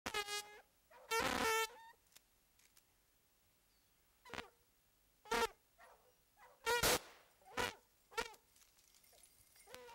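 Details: Hounds on a mountain lion (cougar) hunt bark in short, ringing bursts with a clear tone, spaced irregularly and overlapping at times.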